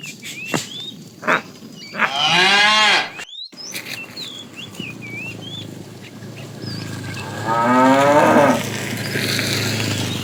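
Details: ['Amid a tame herd driven in the afternoon, a fat cow calls the female: a harmonic moo near two seconds and a rougher, noisier one near eight, with thuds and birds chirping.']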